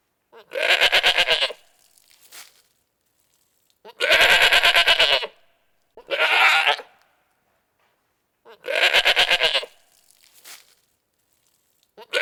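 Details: Goats giving loud, wavering, nasal bleats about a second long, three of them roughly every four seconds, each followed by a faint, softer short bleat in the quiet gaps.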